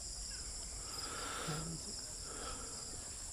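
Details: At a secluded beach resort in Siruma, Camarines Sur, Philippines, a steady, high, shimmering drone of crickets runs throughout, with a brief low voice in the middle.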